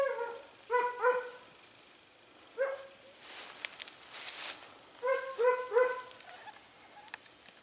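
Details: Hare-hunting Segugio Italiano, smooth- and rough-coated hounds, in the Evros countryside at Sofiko, Greece, on 18 October 2015, giving bursts of ringing, harmonic yelps in quick pairs and triplets, with pauses and brush rustling between.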